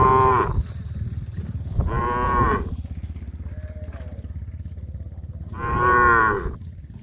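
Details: Herd of tame cows on the way to a grass field to eat; three separate moos, each under a second, with gaps filled by a rhythmic low rumble of walking animals.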